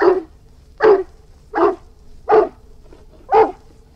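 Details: Deep barks from an Irish Wolfhound, five loud rounded woofs in four seconds at slightly uneven spacing, each brief with a resonant low core; quiet background hum between barks.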